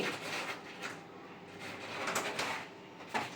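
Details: Indoor clatter of sliding and knocking sounds over a low steady hum, with no animal voice heard.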